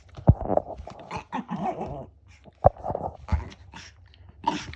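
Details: Shih Tzu dog giving an unusual growl indoors: a series of short, rough voiced grumbles and huffs separated by sharp clicks, irregular and about one burst every two seconds.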